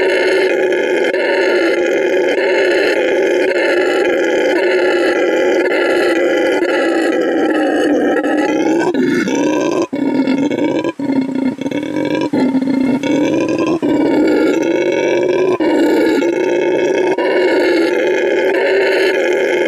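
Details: Male red howler monkey roaring at an animal refuge in Bolivia, displaying vocal stamina: a deep, rasping, throaty roar running without pause, wavering in pitch midway, then steadying into a long sustained bellow.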